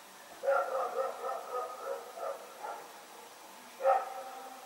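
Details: Night barking from Rex, a dog running around, recorded 21 September 2018: a rapid run of repeated barks for over two seconds, a pause, then one more sharp bark, over a faint constant hiss.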